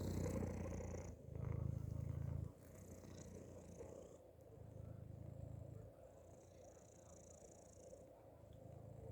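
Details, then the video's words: A cat tucked inside a hoodie purrs in low, rumbling pulses, with louder bursts near the start and softer purring bouts later, separated by quieter breathing gaps and faint fabric rustle. "strange cat noises happening inside my hoodie"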